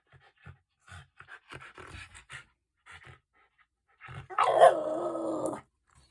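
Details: Hungry Shiba Inu indoors demanding food: a few soft snuffs and short grunting sounds, then a drawn-out, moaning, howl-like whine lasting over a second, steady in pitch with a rough edge.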